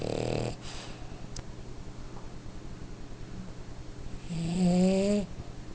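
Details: Napping French Bulldog indoors, giving a rapid, rhythmic, rattling low snore, then a brief voice-like tonal note near the end; a person speaks softly nearby.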